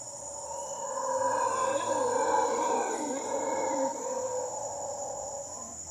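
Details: Male mantled howler (Alouatta palliata), Puerto Jiménez, Costa Rica, gives a deep, rough, drawn-out roar that swells for several seconds, with a steady high insect whine behind it.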